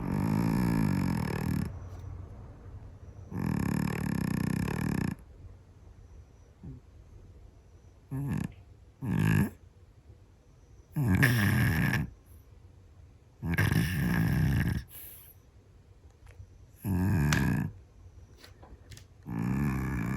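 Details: A sleeping Scottish Fold cat snores loudly and unevenly indoors. Harsh, deep, grunting snores of varied length alternate with several short snorts and quiet breaths, spaced irregularly every two to three seconds.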